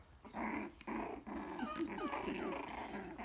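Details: Coton de Tulear puppies almost four weeks old playing and biting in a pen with their mother nearby: a run of small, rough puppy growls with squeaky yelps, and faint human voices.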